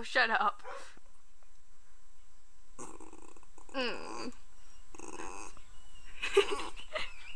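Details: Poe, a pet dog, barking at a neighbor: several loud harmonic barks, some drawn out and wavering, come in bursts separated by short silent gaps, with a faint steady hum underneath.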